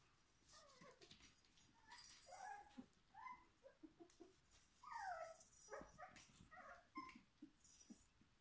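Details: Whimpering Schapendoes puppies, four weeks old, the litter of Xelly and Foppe. They give many brief, rising-and-falling whining squeals in quick irregular bursts, clustered around the middle and latter half, over a quiet indoor background.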